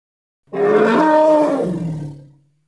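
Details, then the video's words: Hippopotamus, Congo: one loud, sustained bellow with strong overtones, holding level, then dropping in pitch and fading away after about two seconds. "Hippo (Congo) Sounds"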